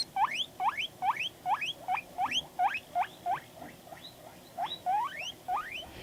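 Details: Panda, a pet guinea pig, calling in response to videos: a steady series of sharp rising whistled wheeks, roughly two to three per second, each sweeping upward from a low squeak into a high squeal.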